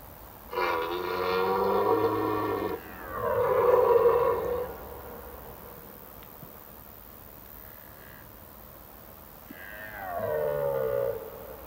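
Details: Red deer stags in the autumn rut, from mid-September, bellowing on forest evenings to attract females and warn off rival males; two long guttural, strongly harmonic roars back to back, then a pause and a third shorter, falling bellow.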